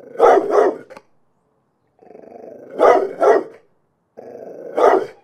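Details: Dog growling low and rumbling, breaking into harsh double barks, a growl-bark-growl pattern repeated three times over a few seconds.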